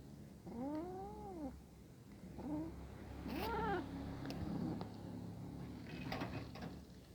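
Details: Hungry kitten calling while a pair of cats eat together nearby; arched harmonic meows, a long one early, a short chirp, then a loud wavering meow, with clicks and low household hum.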